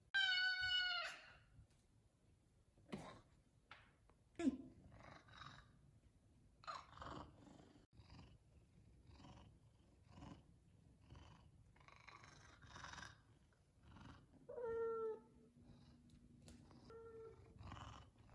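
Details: F2 Savannah cats meowing for chicken at feeding time: a loud, drawn-out harmonic meow opens, then scattered shorter mews and a few more clear meows near the end, with quiet shuffling and clicks between calls.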